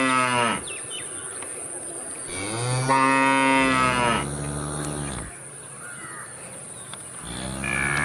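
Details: Several cow moos in succession, some deep and drawn out, others rising and bending downward, separated by short gaps, with a faint steady high whine in the background.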